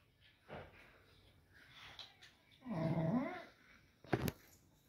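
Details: Lichi, an American Bully dog, indoors, gives a drawn-out nasal whine or moan with a rising and falling pitch near the middle, preceded by soft snuffles and followed by a short sharp click.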